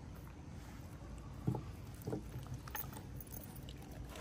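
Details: Low rumbling hum with a few soft knocks and faint crackles; no animal voice.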